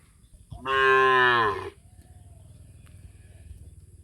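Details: A cow gives one loud, drawn-out moo lasting about a second, then falls quiet, as cows gather together.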